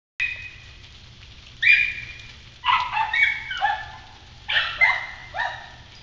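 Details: Kennel dogs barking at an intruder in a yard on Galla Creek, several voices from high to deep; short harmonic barks in bursts with pauses between, some rising yelps, steady low hum underneath.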